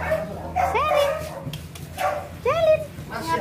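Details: Pug and French bulldog puppies, all female, playing and scuffling together. Two short, high, arching yips rise and fall in pitch, about two seconds apart, with people talking over them throughout.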